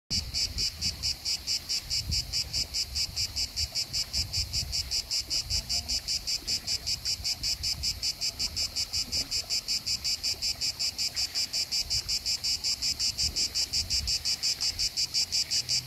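Tree crickets keep up a steady, high, pulsing trill over soft gurgles of water.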